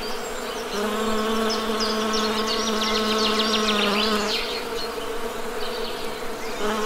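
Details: Constant low droning of honey bees, a rich layered hum with one deeper tone holding steady for several seconds, while small birds chatter in quick high chirps in the background.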